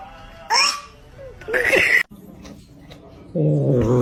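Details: Kitten meowing in a funny cat compilation: two short, rising-then-falling meows about a second apart, followed by a low, buzzy, droning sound near the end.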